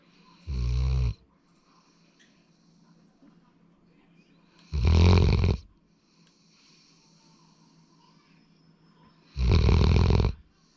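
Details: Sora, a male Labrador Retriever born 8 February 2019, snoring: three loud, low, rasping snores spaced about four and a half seconds apart, with soft breathing hum between them.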